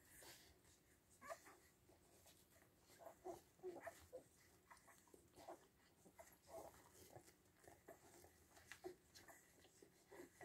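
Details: Seven-day-old Siberian Husky puppies make faint, soft squeaks and whimpers, short high chirps scattered irregularly across the stretch over a steady background hiss.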